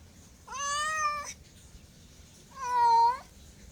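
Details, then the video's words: Two steady, long cat meows, each about three-quarters of a second, nearly flat in pitch and rich in harmonics, separated by a pause of over a second, in quiet surroundings. "MEOWING MEOWING - CAT CUTES - CAT FUNNY - SOUND CAT - MEOW CAT"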